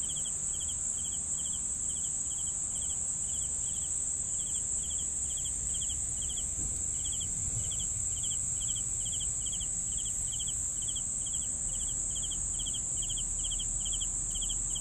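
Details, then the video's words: Crickets keep up a regular train of pulsed chirps, close to two per second, layered over a steady high insect whine and low-frequency background murmur. "CRICKETS SOUNDS"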